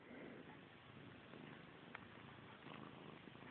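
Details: Close, quiet purring from Missy Grey, a domestic cat preoccupied with her tail, heard as a continuous soft rasp with slight swells and a couple of tiny clicks, as someone chides her about staring at her tail.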